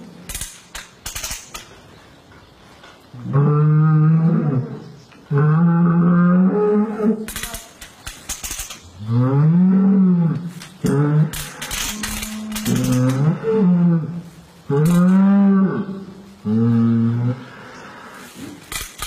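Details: A cow calving in the West moos repeatedly: about eight loud, low bellows, some rising then falling in pitch, each around a second long, interspersed with sharp clanks and bangs of equipment.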